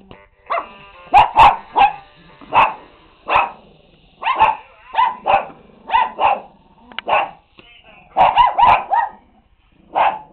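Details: Several Shih Tzus bark excitedly while playing with toys. Short, sharp barks come throughout in quick clusters of two to four, about twenty in all, separated by brief pauses, with a faint high tone at times.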